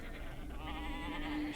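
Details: A single sheep's bleat, shaky and wobbling in pitch, rises out of low background noise and carries on for about a second before ending abruptly.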